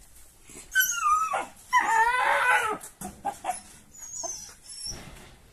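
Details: Sarplaninac puppies wrestle, chase and bark at playtime, giving high, falling yelps and a wavering, drawn-out whine.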